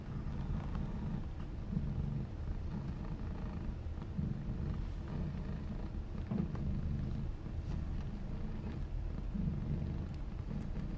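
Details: Maine Coon mother cat Fujiko, from a breeder in Tokyo, purring; a low continuous rumble in soft pulsing rhythm, close and steady throughout.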